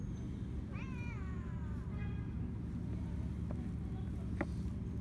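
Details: Stray cat on an Istanbul street in Turkey, seeking attention while other strays eat: one drawn-out harmonic meow sliding downward for about a second, a shorter meow just after, then faint clicks over a steady low traffic rumble.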